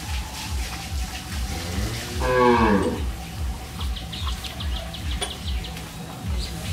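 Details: Cattle at a dairy farm in Bangladesh: a single short, rising-then-falling moo with bright harmonics near the middle, over a rhythmic low thumping and faint ticking sounds.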